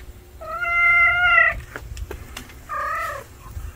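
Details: An unfamiliar male stray cat that has turned up gives a long, even meow of over a second, a few clicks, then a second shorter, slightly falling meow.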